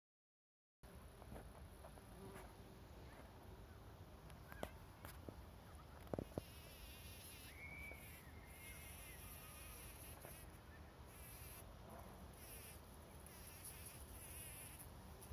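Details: Honey bees (Apis mellifera) buzzing among roses on 17 June, a low, steady wing hum rising and fading as they pass close by.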